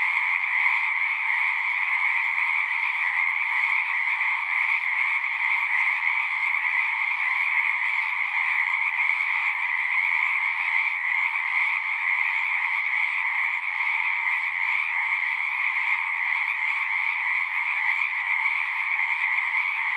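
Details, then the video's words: Continuous chorus of numerous frogs at a pasture pond, Zoom 6 recording: high, ringing trills blend into a thick steady hum, with a faint low rumble briefly in the background. "Frogs singing"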